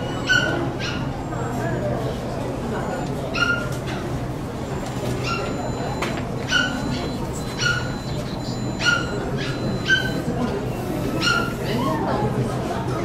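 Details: Poodles at a Saitama West poodle club exhibition on 9 June 2008: short, high yapping barks at irregular intervals of one to two seconds, over a steady low hum and indoor crowd murmur.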